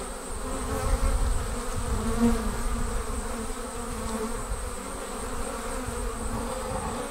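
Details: Honey bees departing their hive as a swarm: a dense, steady droning hum with low pitched bands and a heavy low rumble underneath, unbroken throughout.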